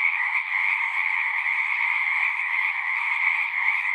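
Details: A short stretch of a frog chorus: countless overlapping croaking trills merged into a steady, buzzy drone with slight pulsing, constant loudness, no gaps.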